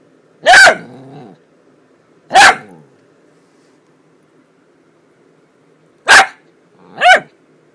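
A Miniature Dachshund gives four sharp, high-pitched yips at uneven intervals, a couple trailing into a brief rough rumble.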